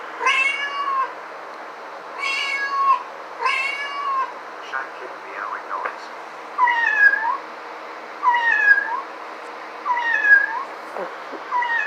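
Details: House cat meowing repeatedly: three strong harmonic meows followed by quieter chirping trills and several softer, downward-bending mews spaced about a second or more apart, over a low steady hum.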